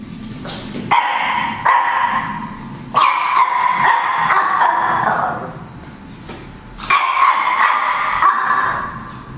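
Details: A black Chihuahua barks at the camera, giving high, rapid yapping barks in strained bursts of a few seconds each.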